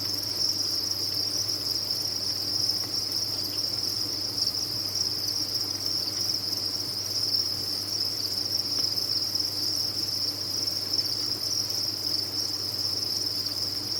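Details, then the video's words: Many captive crickets at a cricket farm chirp together in a dense, steady, high-pitched trill that never pauses. Its level stays even throughout, over a faint low hum. "Sound of a Cricket Farm"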